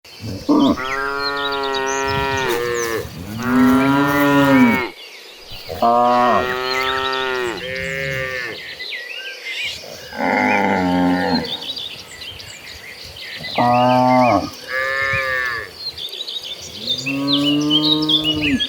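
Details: A herd of cattle walking toward a green pasture moos repeatedly, with long bellowing calls overlapping from several animals.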